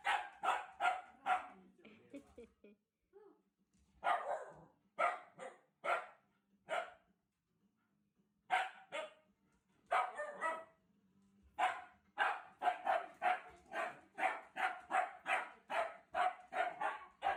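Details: Shiba Inu barking repeatedly at Mario, sharp loud barks in rapid bursts, a few short gaps then a steady string of about ten barks roughly twice per second toward the end, with faint voices in the background.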